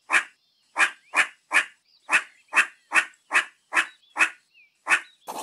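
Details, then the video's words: Meerkat giving harsh, breathy barks, each short and noisy, repeated at an uneven pace about two to three per second over a quiet background. "Real Meerkat Sounds"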